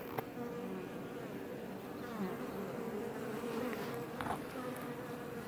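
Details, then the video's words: Hum of many Iberian honey bees around a Langstroth hive box near Roquetes, south Tarragona, Catalonia, Spain; an even, continuous droning buzz with slight swells and no pauses. "Bees Healing Sound Effect HD - Up Close"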